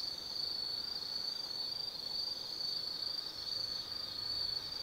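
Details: Autumn insects singing at night in the Tsukimi Forest near Kaizu, Gifu Prefecture, Japan, above the lit Nobi Plain: a steady, high continuous trill forms an unbroken band, with a quiet background hum.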